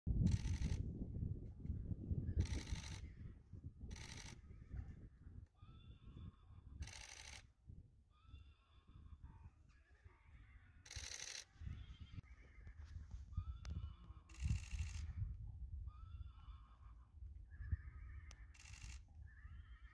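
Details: Friesian horse neighing: short harmonic calls recur through the recording, with sharp broadband bangs and a steady low rumble underneath.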